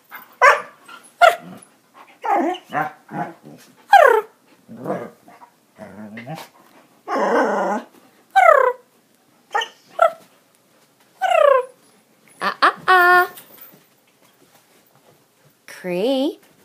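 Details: Young puppy from Norway House making unusual chirping noises; short squeaky yelps and chirps with falling pitch, mixed with rougher growl-like bursts, spaced irregularly with silent gaps between.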